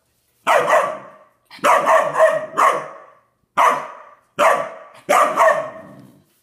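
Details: A standard poodle puppy gives a series of sharp, full-throated barks, some in quick doubles and triples, while barking at his water dish until it tips over.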